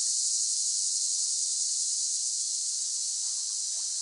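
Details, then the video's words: Loud, unbroken high-pitched cicada drone, a hissing buzz that holds steady for the whole stretch, easing slightly in volume toward the end. "เสียงจักจั่น ฟังเพื่อผ่อนคลาย (Cicada Sound Effects)【セミの声】"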